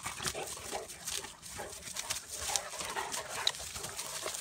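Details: A Bulldog/Staffy cross and a Cane Corso play-wrestling, giving harsh breathy growls and snuffling bursts every half second or so amid rustling scuffle noise.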